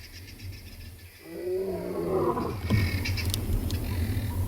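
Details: Huge male lion on a live South African safari, roaring after scent marking; the roar builds from a low, quiet start into a deep, rising moan, with guinea fowl cackling alarm nearby and steady low background rumble.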